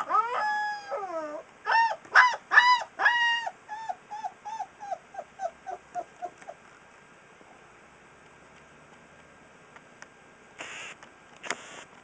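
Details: Singing Alaskan Malamute puppy aged three weeks: several loud, wavering howls, then a fading series of about ten short descending yips, then near silence with a few clicks and rustling noises.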